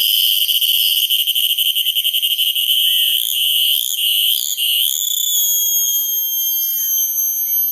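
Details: Cicada producing a loud, very high-pitched continuous buzz, rapidly pulsed at first, then shifting into smoother wavering tones that fade slightly toward the end.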